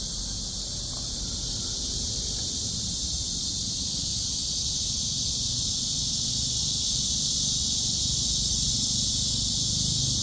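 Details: Continuous high buzzing drone of a cicada recorded on a walk, sustained and slightly swelling toward the end, over soft low-frequency background noise.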